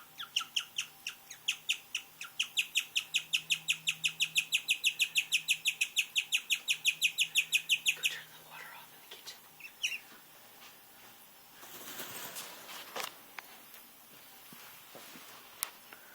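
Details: Pet guinea pig making strange noises: a fast run of high, thin chirps, about three per second, for eight seconds, then quieter scattered squeaks and handling noise.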